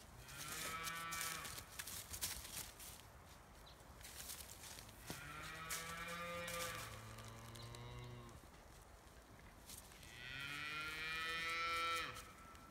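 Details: Scottish Highland cattle on a Finnish farm, kept outdoors year-round, moo in a forest: three long harmonic moos, the last rising higher and louder, with clicks and rustling from the animals moving among trees.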